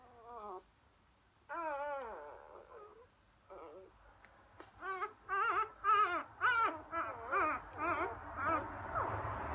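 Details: Four-day-old Labrador Retriever puppies, a litter named Emma's and Floyd's, filmed on 1/5/2016; brief rising-falling squeals at first, then a run of rapid wavering whines and squeaks from several pups.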